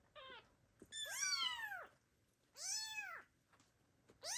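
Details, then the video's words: Abandoned kittens call loudly for their mother: a short high squeak followed by two long arched meows and the start of another, strong and harmonic-rich. "The kittens meow loudly and call their mother cat, but she abandoned them."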